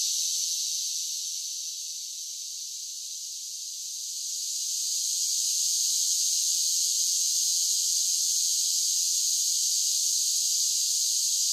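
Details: Cicadas in summer make a shrill, hissing chorus that softens for a few seconds in the first half, then rises again into a constant, even drone. Nothing else can be heard.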